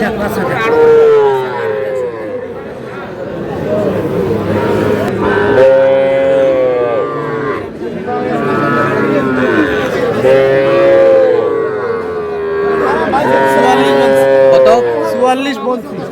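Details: Mooing from Sahiwal cattle at a busy livestock market, 21 February 2026, where Sahiwal bull calves are being bought for Cumilla; repeated long, bending lows roughly every four to five seconds, with people talking nearby.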